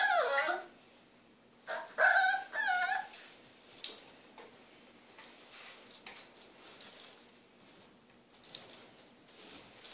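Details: French Bulldog puppy, three months old, grows impatient for a hand brush. Three short high whines with wavering, bending tones in the first three seconds, then quieter scratching and shuffling in a small room.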